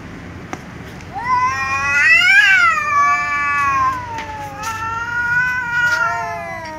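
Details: A tom cat and a ginger cat, meowing loudly at each other before they eat together. A short, low, quiet call is followed by a loud, rising-then-falling meow and then a second long, wavering meow, with faint clicks in the background.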